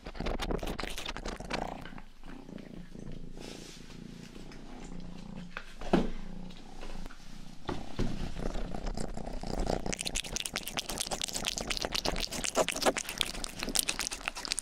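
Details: Rangi, the youngest pet cat of the household, purring indoors close to a 3Dio binaural microphone: a steady low rumbling throb, with a burst of wet, crackly licking and grooming noises in the final seconds.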